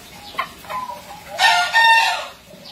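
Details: Bekisar, a contest entry recorded in 2020, crowing: a short rising note, then a loud drawn-out harsh crow of about a second that tails off, with faint background noise.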